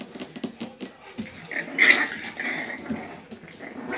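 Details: Registered Olde English Bulldogge puppies born November 2, 2015, in Michigan; soft whimpers and small growling grumbles, rising to a brief high squeal midway, with rustling indoors.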